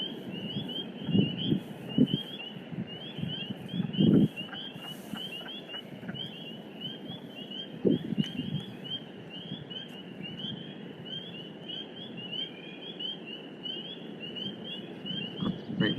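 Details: A dense chorus of male spring peepers calling to attract females in spring wetlands of Western Massachusetts forests. Countless high, piercing peeps overlap without pause, with wood frogs croaking in the background and a person whispering.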